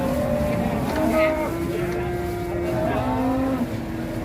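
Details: Cattle bought at the Ngawi market in Indonesia being loaded onto trucks bound for Bandung: a long, low, drawn-out moo with a slight rising then falling pitch, over steady engine rumble.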